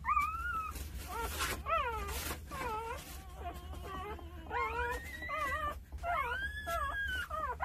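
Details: Jindo mother Sarang with her nine pups at two days old: a long run of high, wavering squeaks and whimpers from several puppies, short bent cries repeating in quick bursts, steady low hum underneath.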